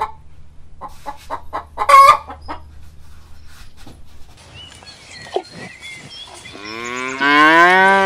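A cow gives a loud, rising moo after a run of short, clucking knocks.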